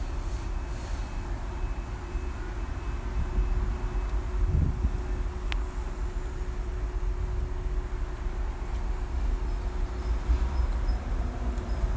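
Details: Steady low rumble of outdoor noise like passing traffic, with a brief click near the middle and no animal voice.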